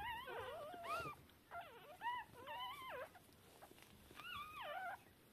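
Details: Shiba Inu newborns about three hours old, deaf and blind, calling to their mother at a breeder's; thin squealing whimpers that rise and fall, several overlapping bursts with short gaps.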